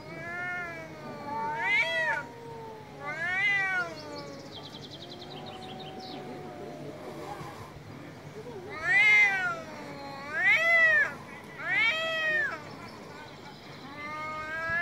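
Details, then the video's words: Male domestic cats meowing very loudly on an Istanbul street, a series of long, harmonic, arching wails rising then falling, several bursts spaced a second or two apart, with faint street noise behind. "Istanbul Cats - Male cats meow very loud on the street"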